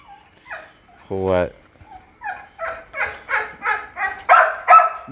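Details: One-month-old Pit Bull puppies of the mother dog Namtan, eating outside, give a run of short, high yelping barks roughly three per second after a brief laugh and a human voice.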